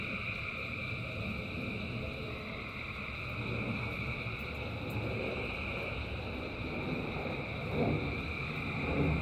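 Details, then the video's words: Thousands of frogs singing in rain: a dense, unbroken chorus of steady high droning tones layered over a constant broadband hiss and patter of rainfall, with a slight swell in loudness near the end. "Frogs in Rain 2 Hours of Frogs, Thousands of Frogs Singing"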